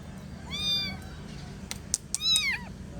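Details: Kitten meowing: two drawn-out, bending meows with rich overtones, the second preceded by a few sharp clicks, over a faint low hum.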